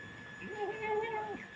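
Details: A hungry house cat calls for food as its owner serves it. It gives a wavering, nasal meow that rises, holds with a slight wobble, then drops at the end. Quiet room.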